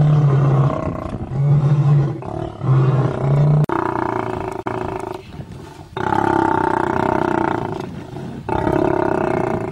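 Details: Fighting lions: a run of short, deep guttural grunts in the opening seconds gives way to long, loud, rasping snarls broken by sudden pauses.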